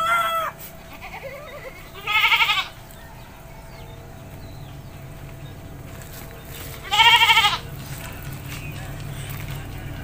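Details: A village goat in the Indonesian countryside, being bathed, bleats twice about five seconds apart; each cry is a nasal, quavering wail of roughly half a second, over a steady background hiss.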